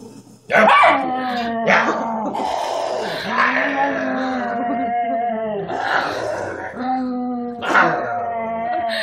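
A Miniature Schnauzer gives drawn-out, moaning growls that waver up and down in pitch.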